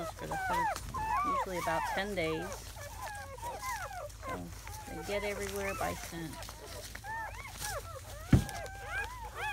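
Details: Squeaky cries from seven German Shepherd puppies only hours old, 2017 litter of four boys and three girls; rapid arched yelps crowd together, broken by lower droning whines, a voice and a single sharp knock near the end.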